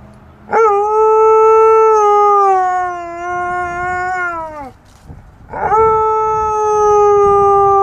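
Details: An Alaskan Malamute imitates passing fire-truck sirens with long, sustained siren-like howls, each holding a steady pitch before sliding downward. He rarely does this.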